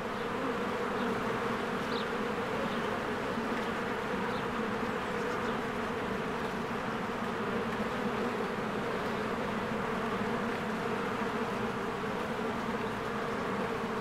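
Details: Honeybees in spring swarming in and out of their hive, a dense steady buzzing hum with layered drones, continuous throughout, faint brief chirps above.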